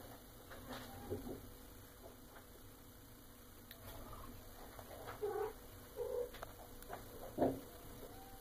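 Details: Female Maine Coon cat, eight and a half months old, indoors at feeding time, giving a few short, soft chirping meows spaced about a second apart amid quiet room noise.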